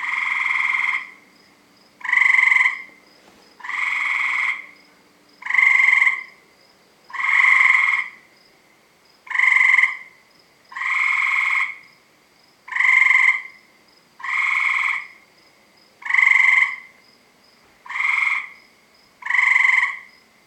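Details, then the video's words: Nightly chorus of tree frogs around a house, starting about 7 PM: rasping, nasal croaks delivered in a steady series about every one and a half seconds, twelve bursts in quick succession, loud and close. "Tree Frog Noises"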